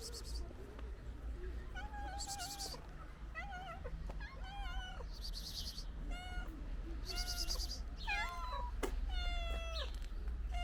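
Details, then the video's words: Ginger cat with other stray cats eating pate food, giving many short rising and falling meows, some wavering, in quick overlapping succession over a steady low hum. "Ginger Cat And Its Friends Makes Cute Sounds While Eating Pate Food"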